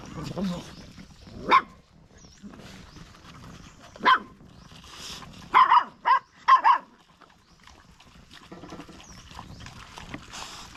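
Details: Stray dog barking: five sharp, short barks, one near the start, another about two and a half seconds later, then a tight cluster of three, separated by quiet stretches with faint background murmur.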